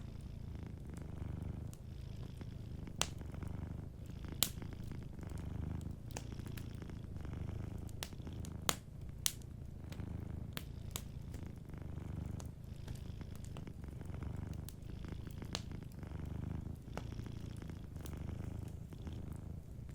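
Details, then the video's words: Gentle purring of a sleeping cat, a long unbroken low throbbing drone, set against a cozy fireplace whose crackling produces many quick snaps and several sharp louder pops. "Warm Fireplace Ambience with a Sleeping Cat 🐱💤Fireplace & Soft Purring"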